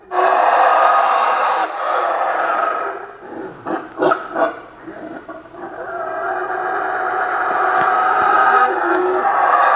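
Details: Howler monkeys, a troop living in the canopy of a southern Mexican jungle (Palenque, Chiapas, or the Yucatan Peninsula), roar in deep, rasping, drawn-out waves that dip briefly midway and then swell again, over a steady high insect whine; the growl carries kilometres.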